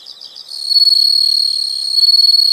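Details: A few soft high chirps lead into a loud, sustained, ringing insect trill that holds one high pitch to the end.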